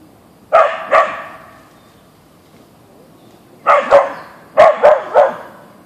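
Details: Boeing, a Siberian Husky (Ausky), confronting a deer in the backyard with bursts of loud, harsh barks: a pair, a long pause, then a rapid string of four or five barks.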